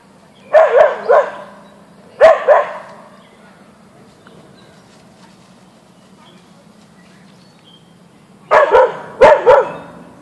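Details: Backyard encounter between Boeing the Siberian Husky (Ausky) and a deer: two double barks, a long stretch of low humming quiet, then two more rapid double barks near the end.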